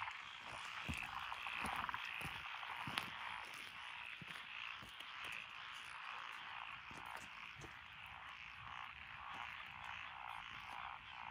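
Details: Frog chorus in lotus rice paddies along a country road in Echizen, Fukui Prefecture, recorded 12 June 2021, with tree frogs, pond frogs, wrinkled frogs and green tree frogs. Steady mass of fast croaks, with scattered sharp clicks on top.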